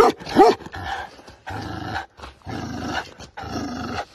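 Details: Tibetan Mastiff during an attack: a couple of sharp barks at the start, followed by long, harsh, noisy growl-like rasps with short pauses between them.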